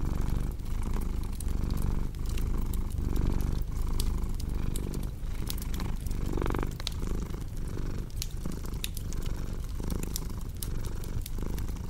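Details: Relaxation mix of a purring cat and a crackling hearth fire: a dense, low vibrating purr rising and falling in breath cycles roughly every second and a half, punctuated by frequent crisp pops from the fire.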